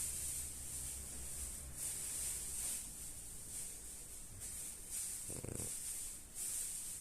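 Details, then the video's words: French bulldog named Lady snoring while asleep: soft breathy hissing snores recurring about every one and a half to two seconds, each a short airy rasp, with a brief low rumbling snort near the end; quiet indoor setting. "Healthy sleep - healthy snoring"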